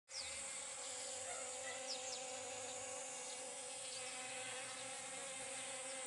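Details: Honey bees pollinating pumpkin flowers: a steady, unbroken droning buzz with layered humming tones that holds for the full six seconds, while brief faint high chirps flick through the background.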